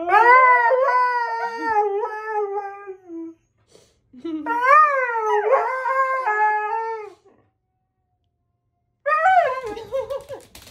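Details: Siberian Husky howling indoors: two long, tonal, wavering howls rich in harmonics, each about three seconds, the first sliding down in pitch, the second rising then falling, separated by a pause, a third howl starting at the end.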